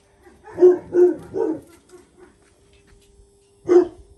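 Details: Three rapid barks in a row, a pause, then one more sharp bark, from the Jack Russell Terriers Paris and her son Oscar during a mother-to-pup lesson.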